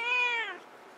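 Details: Domestic cat yelling: one loud, clear, half-second harmonic meow held level and then falling in pitch as it fades, in a quiet room.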